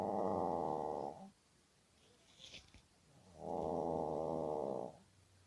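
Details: Sleeping Maltese Ulppukku snoring: two loud, harsh, buzzing snores about a second each, separated by a quiet pause with a faint rustle between them.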